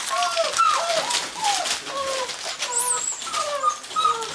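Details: Gordon Setters at the Natolińskie Wzgórza breeding kennel give soft, overlapping whines, short tonal notes sliding up and down, several voices calling at once with a brief higher squeal near the middle.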